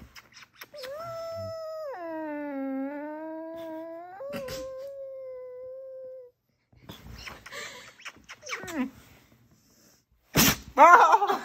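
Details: Noisy Vizsla puppy indoors lets out one long, clear, sustained whine lasting about five seconds. It starts high, dips lower, then levels off at a steady pitch. After a pause come short yips and scuffling, ending in a sharp, louder whimper.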